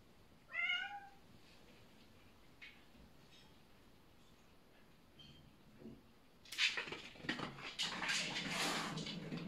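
A Bengal cat gives a sharp, rising meow, then long hissy, spitting bursts while settling rank order.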